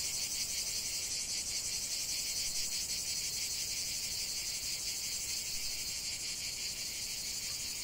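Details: Steady, piercing buzz of many cicadas singing together in a lavender field, lightly pulsing but mostly an even, continuous high drone.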